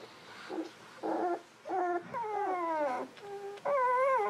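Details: Newborn Golden Retriever puppies, 11 to 13 days old, from Aiko of Haarby and Lady Dina, whine in long tonal squeals with rich harmonics. A short huff is followed by drawn-out cries that slide downward, then a steady rising wail at the end.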